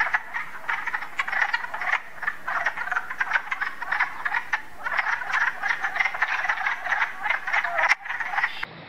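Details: Nighttime frogs producing dense, clicking croaks that run together into a busy rattling chorus, fading abruptly at the end.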